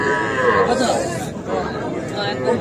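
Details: Young Sahiwal bull calves at a cattle market in Comilla, Bangladesh, on 5 August, while a farmer buys them: one drawn-out harmonic moo fills the first second, then fades into steady crowd chatter and men talking.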